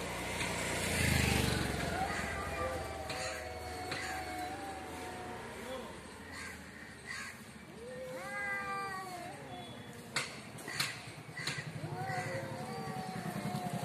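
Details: Cats in a fight in front of a home, with a person talking at first, then several bending, warbling yowls and short moaning wails rising and dropping, plus a few sharp knocks near the end.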